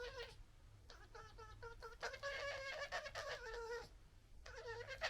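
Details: Noisy interaction within a British urban red fox family, recorded on a pocket gimbal camera: near-continuous rapid whining, squeaky yelps in quick uneven runs, with brief pauses, above a low background hum.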